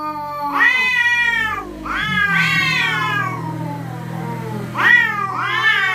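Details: Night-time territorial cats threatening each other with a series of four harsh, arching wails, some overlapping, over a steady low hum in the background.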